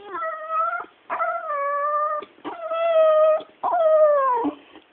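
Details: A female Staffordshire bull terrier that cannot bark makes long, musical whines, about a second each, holding steady then dipping at the end, in four phrases with short pauses, as if conversing with her owner.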